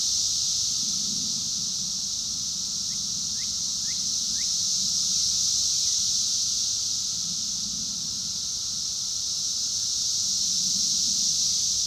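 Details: Cicadas give a loud, unbroken, high-pitched hiss that drowns out a mockingbird singing faintly beneath.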